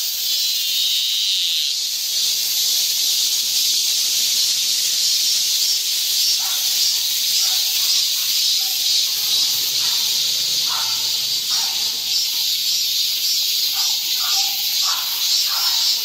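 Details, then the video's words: A midsummer chorus of cicadas in the summer heat makes a steady, high, hissing drone without pause. "한여름 무더위를 식히는 시원한 청량제와 같은 매미 소리 찬란한 초록의 여름. 구독 좋아요 부탁드립니다"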